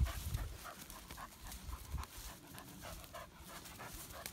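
An English Springer Spaniel pants rapidly, short breathy huffs repeating about three times a second.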